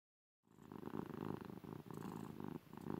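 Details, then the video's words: Female domestic cat purring loudly while being cuddled indoors: steady low rumbling purr that starts after a brief silence, pulsing rapidly in long stretches broken by short pauses for breath. "Cat gets cuddles, purring loudly!"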